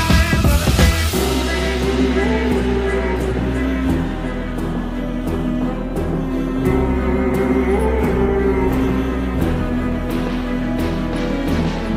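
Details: Loud music with a steady low beat and sustained tones fills the whole recording, with no animal sound heard.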